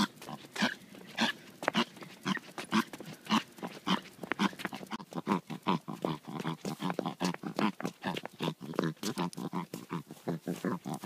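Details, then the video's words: A pet dog making weird noises, with a long run of rapid, uneven snorting grunts, roughly a hundred a minute, each a short rough burst, continuing steadily without pause. "Weird Dog Noises"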